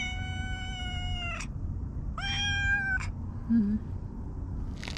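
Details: Stray cat nicknamed Hige Danshaku, noted for its moustache-like markings, meowing in a park in Japan: two drawn-out harmonic meows, the second rising then level, over steady low background hum.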